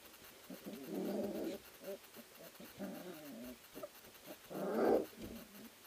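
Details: Three-week-old Ari X Grace puppies from a sprint mushing kennel wrestle and play in the whelping house; low rough growly bursts near one second and five seconds, with softer grumbles and scuffling between.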